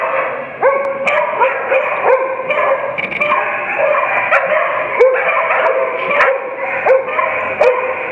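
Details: Veteran dogs at the Agility Ability Dog Show, ring 1, morning session, Easton & Otley College Norwich Campus, 7 November 2015. Loud, sharp barks repeat almost continuously, each about half a second apart, with the occasional yip.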